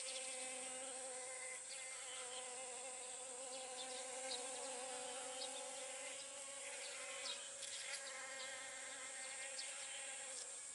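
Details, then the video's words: Honey bees pollinating pumpkin flowers: a steady, low droning buzz with stacked even tones holds throughout, with faint brief clicks and rustles over it. "かぼちゃの花 X ミツバチ X 受粉"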